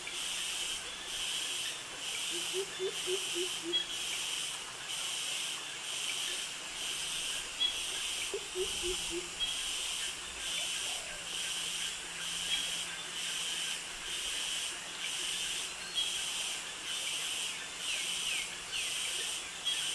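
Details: Cicadas and crickets in tropical jungle by mangroves in Krabi, Thailand: continuous shrill buzzing that swells and fades in regular pulses about once a second, with two short bursts of lower chirping notes early on.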